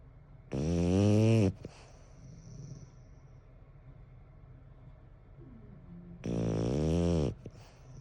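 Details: Snoring French Bulldog Bon, eleven years old, at home: two long, deep, rattling snores about five seconds apart, each under a second, with soft room noise between them.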